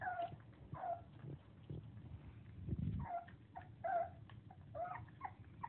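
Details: Four-week-old English Springer Spaniel puppies (Canis lupus familiaris) give short, high, squeaky whines and yelps while eating and playing, over low shuffling and munching noises.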